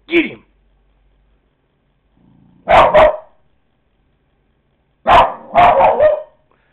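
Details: Coco, a pet dog, barking at a dog shown on a computer, recorded on a Kodak DX4530 digital camera: a short yelp, then a double bark and a rapid burst of three or four barks, with a person urging the dog on.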